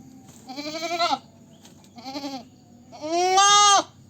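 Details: Goat bleating: three nasal, wavering bleats, the first two shorter and quavering, the last the longest and loudest, held steady for almost a second, with quiet background hum.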